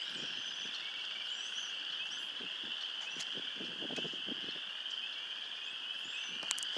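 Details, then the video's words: Frogs singing in spring, just out of hibernation on a cold day of 34°F; a dense, continuous chorus of high trilling calls forms a steady band, with faint softer sounds in the background. "Spring frogs singing"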